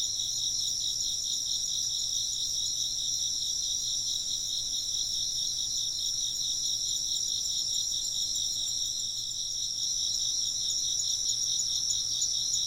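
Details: Insects chirping in a dense, unbroken chorus: high, shrill trilling layered in two bright bands, with a fast, steady pulsing that never pauses across the whole stretch.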